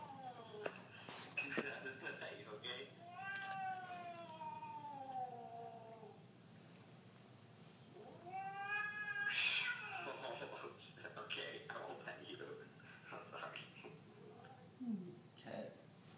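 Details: Siamese cat indoors, reacting to a clip of an affectionate Siamese cat: short yowls, two long wailing meows that rise then fall, then quieter scattered sounds, with a person speaking in the background.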